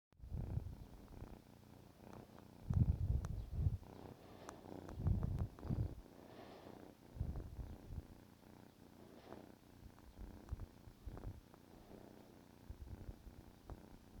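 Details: Male kitten about 14 weeks old purring while waking its owner in the morning indoors; low rumbling purr in uneven bursts, loudest around three and five seconds, with soft rustling in between.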